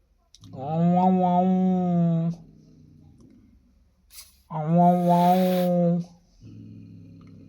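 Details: Domestic cats in heat, male and female, making noise in a small room: a long wavering yowl, a shorter rising wail, and a low rumbling growl between and after the calls.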